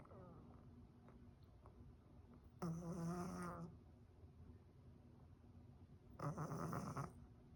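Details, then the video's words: Blocked-nose breathing from a cat with cat flu, sounding like snoring; two long raspy, rattling breaths roughly three and a half seconds apart over a faint background hum. "猫風邪 いびきをかくように息をする。"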